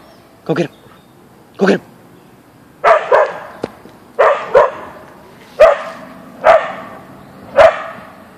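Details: Boeing, a Siberian Husky (Ausky), barks on meeting a deer in the backyard; short sharp barks, some paired, repeat irregularly about once a second, with a person's voice urging at the start.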